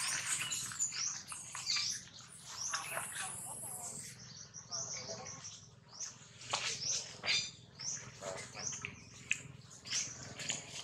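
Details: Baby monkey Jinx crying loudly after being bitten hard by another monkey, Jade: dense, shrill, high-pitched squeals and screeches pour out almost continuously, coming in overlapping bursts over a faint low background hum.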